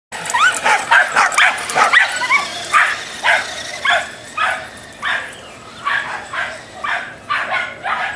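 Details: Dachshund in a road rage outburst, barking sharply and repeatedly, about fourteen short yapping barks in eight seconds at an uneven pace, with a brief whining note near the start.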